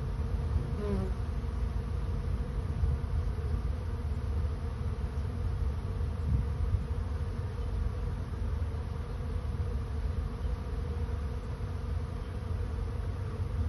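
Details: Low, unbroken droning of a honey bee swarm searching for a new home, a thick steady hum with slight fluctuations in loudness and a brief higher whine near the start.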